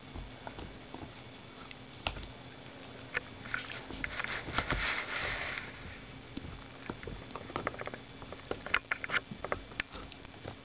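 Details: Female dachshund gnawing her new rawhide bone during the Christmas holiday season: irregular dry clicks and crunches, about 150 a minute, with a denser burst of grinding near the middle and quiet background hiss.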